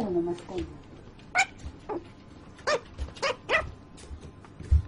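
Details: Puppy whimpering while asleep, a run of five or six brief downward-sliding squeaks, some in quick pairs, after a soft human voice at the start.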